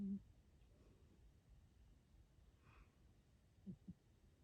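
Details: Calvin, a short-nosed pet cat, snores and sometimes talks in his sleep. Soft low breathy snorts: one at the start, then two quick low grunts close together near the end, over quiet indoor room hum.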